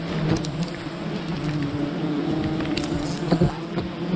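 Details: Bees of a wild colony during honey harvesting: steady low droning buzz with a slightly wavering tone, short taps and rustles breaking through near the end.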